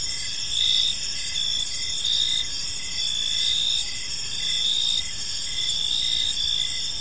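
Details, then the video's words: Evening cricket chorus in a serene park, continuous high-pitched trills with brighter chirp bursts recurring about once a second, volume rising and falling gently, light low hum beneath. "Cricket Sounds in a Peaceful Park"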